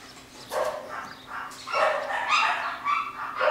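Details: Home-bred Jackateese puppies, a Jack Russell x Maltese cross, nine weeks old, from a new litter of boys and girls; high, harmonic yips and whiny squeals come in quick, uneven bursts, overlapping one another for several seconds.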